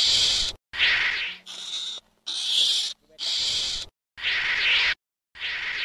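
Ferret-badger giving harsh, hissing high-pitched bursts, each under a second, repeated about once a second with brief silent gaps.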